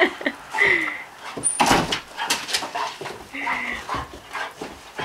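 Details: A 15-month-old Vizsla greets its owner returning home after a six-month military deployment, giving high excited whines and yelps that rise and fall, mixed with people's excited talking, laughter and clapping.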